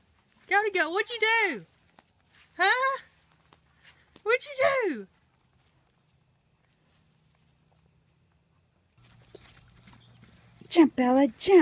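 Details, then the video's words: Goats in a funny compilation of 'talking' goats: three loud, wavering, nasal bleats, each under a second long and sounding almost human, followed after a quiet gap by a rumbling hum and one final quavering bleat. "Talking animals. Crazy Goats! Funny goats!"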